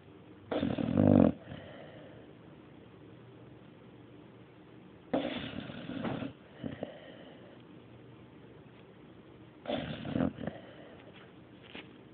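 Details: Indoor recording of a dog snoring: three rasping, gravelly snores spaced roughly four to five seconds apart, each about a second long with a breathy tail, soft breathing between them.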